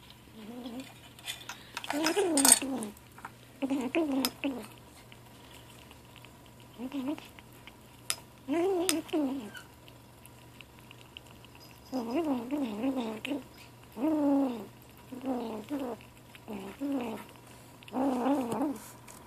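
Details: Ashe, a gray 7-week-old kitten, vocalizes while eating indoors: short wavering harmonic mews with a quivering, murmuring quality, repeated in bursts of about one second, mixed with clinks of a dish and cutlery.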